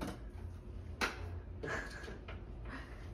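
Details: Quiet indoor room sounds with a sharp click near one second, then soft sliding and rustling noises, no animal voice heard.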